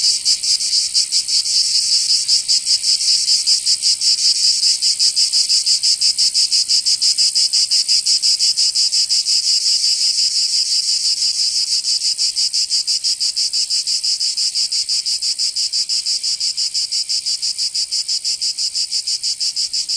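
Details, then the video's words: Summer cicadas in Provence in the south of France, a loud, continuous shrill drone with rapid rhythmic pulsing, slightly fading toward the end, the only sound present. "Canto Cigarra 🦗 [ Escuchar les cigarras en verano 10 H]"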